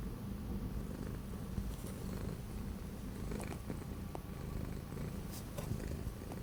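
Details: Orange pet cat stuck inside during several days of strong cold wind, 12 January 2025, gives a loud, even, low purr that rolls on without pause, with occasional light ticks.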